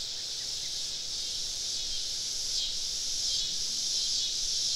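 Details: Summer evening cicada chorus recorded while camping deep in southern woodland, insects surrounding the site; a continuous high buzzing wall of sound that swells and dips slightly in loudness, with faint low rumble beneath.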